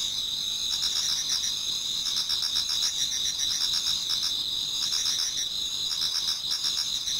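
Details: Toward dawn in autumn, a Japanese garden full of insects singing at once, layering high sustained ringing notes over rapid, chirping pulses that rise and fall in short bursts.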